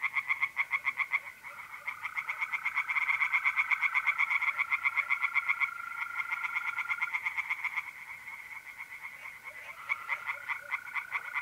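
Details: Tree frogs singing in a pond on an April night in north-east Italy: rapid pulsed croaks repeated about four per second in overlapping chorus, with a steady high trill of mole crickets running beneath.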